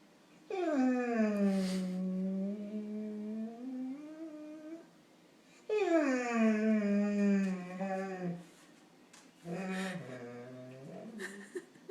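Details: A Labrador Retriever begs for pancakes it is refused, voicing its misery in long, drawn-out, groaning whines that bend up and down in pitch.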